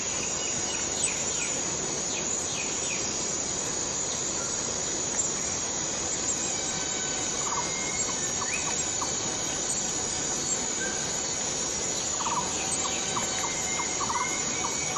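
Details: Rainforest cicada from Borneo droning continuously at a high shrill pitch, while short rising whistles and clusters of quick chirping notes from other animals sound repeatedly over the steady hum.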